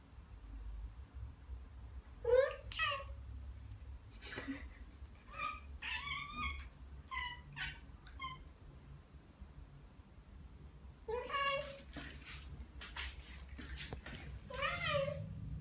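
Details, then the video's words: Ragdoll cats Ao and Aki, one year and nine months old, react to birdsong with clusters of bright chirping calls and wavering trills, grouped in quick runs with pauses between, over a low background rumble. "고양이 채터링? Cat Chattering"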